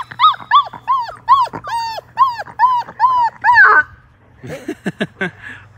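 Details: Labrador Retriever puppy, five weeks old, in a water-filled baby pool; a regular series of about ten arched whines, one roughly every third of a second, then splashing and scrabbling in the water.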